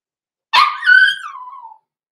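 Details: Blenheim Cavalier King Charles Spaniel puppy, six weeks old, indoors in a puppy pen, litter born November 14, 2022: one loud, harmonically rich yelp that swells, then trails off into a long falling whimper lasting over a second.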